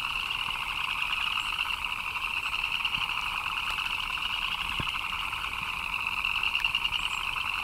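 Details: Rain-time chorus of frogs: rapid chirps blend into a constant shrill hum in two pitch bands, with a few soft knocks and drips scattered through the steady calling.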